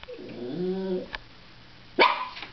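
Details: A female Cairn Terrier gives a drawn-out, tonal whine, then a sharp bark, upset that her owner has left for work.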